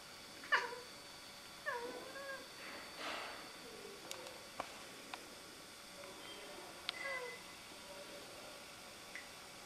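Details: Siamese cat indoors making a fuss over a rook in a tree across the road: a string of short, bending meows, some rising and some falling, at irregular intervals, with a few sharp clicks and a steady faint hum behind.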